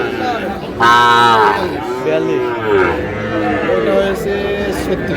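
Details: Sahiwal bull calf at a cattle market in Noakhali, Bangladesh, on 8 May. It gives a long, loud, low moo with rich overtones, followed by shorter, softer lowing. People talk and murmur throughout in the busy market.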